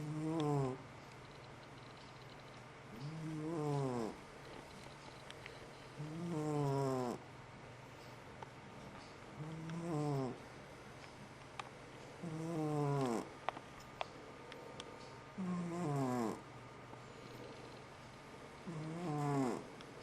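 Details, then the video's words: Loud snoring from a sleeping pet cat, a steady run of seven low, buzzy, harmonic-rich breaths, each about a second long and repeated roughly every three seconds, with faint clicks and a quiet background hum. "Snoring cat"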